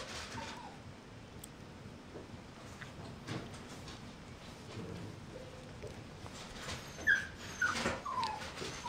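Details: Mixed-breed puppy, toddling about as it learns to walk, gives a few short, thin, high whimpers late on, each a brief falling squeak, over soft indoor rustling and light tapping clicks.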